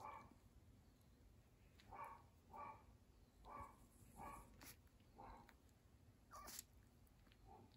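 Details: Series of short dog barks, about seven in a row, roughly every half to three-quarters of a second, distant-sounding over steady room noise, with a couple of sharper clicks near the end.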